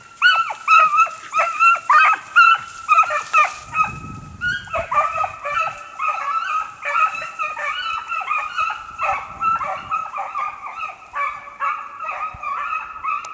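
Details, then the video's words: Two beagles in hot pursuit of a snowshoe hare on a hunt in the Allegheny National Forest, northern Pennsylvania, with no snow on the ground; rapid, repeated yelping bays about twice a second from overlapping voices, with some longer drawn-out howls. "BeaglesTracking Snowshoe Hare in northern Pennsylvania"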